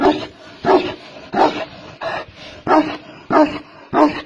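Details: Tibetan mastiff, a giant dog of China, barking in a steady series of deep, resonant woofs, seven barks spaced about two-thirds of a second apart.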